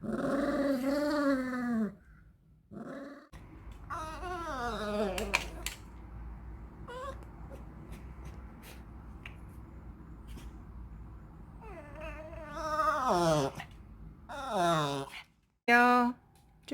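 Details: A 13-year-old dog grumbles indoors while waiting for its favourite snack, making moaning, wavering growls at the start and bursts of whiny grumbling near the end, with quieter room sounds and clicks in between.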